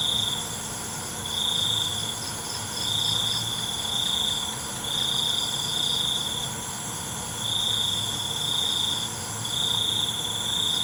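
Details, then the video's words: Crickets calling at night, with five evenly spaced bursts of high, piercing trill, each roughly a second long, rising and falling in loudness over a steady, high insect drone. "ALUNAN CENGKERIK MALAM"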